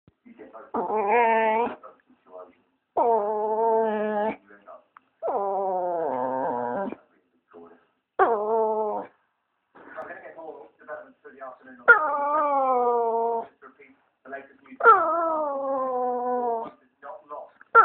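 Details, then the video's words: Female British bulldog indoors wanting attention makes a series of long, drawn-out moaning whines, each about a second long, wavering and sliding downward, with short pauses between. "British bulldog Maggie O'Brien wanting some attention"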